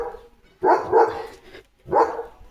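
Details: Leo, a pet German Shepherd, given a new pipe toy to chew and play with, barks loudly: a quick doubled bark, a short pause, then one more deep, full bark, with a quiet background.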